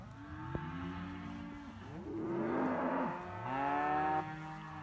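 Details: Simmental calves, heifers and young bulls offered for sale together, lowing in long, low, drawn-out moos that overlap and rise and fall across the whole stretch, with a burst of rustling noise in the middle.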